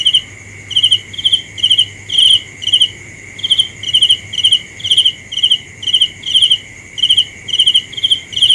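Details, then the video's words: Cricket calling: about seventeen shrill, ticking chirps over eight seconds, evenly paced, each made of a few fast pulses, with a steady high whine in the background. "The best sounds of Cricket 《 Suab Kab Ciliv Quaj Zoo Heev》 ( ສຽງແມງຈີ່ນາຍຮ້ອງດີໆ )"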